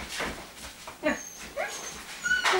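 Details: Rhodesian Ridgeback puppies born 09.09.2016, filmed at a kennel: brief high whimpers and squeaky yelps in short bursts, with a woman's voice nearby.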